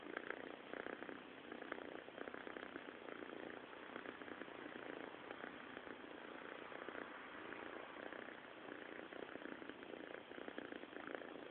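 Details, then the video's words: Snoring from a sleeping cat, a continuous rough, buzzing rumble with an even pulsed rhythm and no other sounds standing out. "snoring cat"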